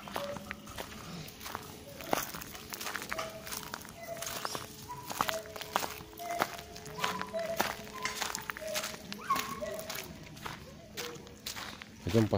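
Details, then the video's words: Caged gibbon at the Monkey Temple in Thailand, its song described as crying: a faint, steady series of short rising hoots about every half second, partly masked by footsteps and people talking nearby. "ПЛАЧ ГИББОНА"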